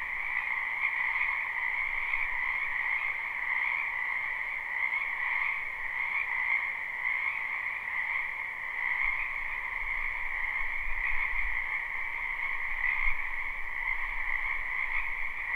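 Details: Springtime frogs croaking in a wetland, live unlooped recording; a constant pulsing chorus of many callers in two bands, with a soft low rumble in the background during the second half.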